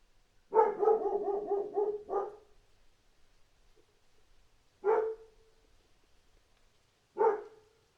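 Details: Dog barking: a rapid run of about six sharp, harmonic barks in two seconds, then a pause and two single barks spaced about two seconds apart, with a quiet background.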